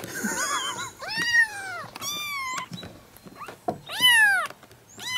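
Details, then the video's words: Kittens meowing together, a wavering high mew at the start followed by several long arched meows and shorter squeaks, with light handling noise underneath. "kittens meowing *cute* talking at the same time"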